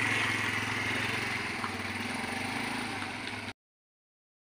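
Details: An idling engine drones with a low, pulsing hum and some background murmur, then cuts to silence.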